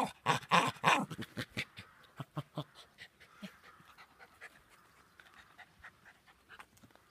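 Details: Jack Russell Terrier named Harvey, barking as it usually does: a burst of loud, rapid, sharp barks in the first two seconds, then softer, quicker puffs and yaps that fade away over the rest.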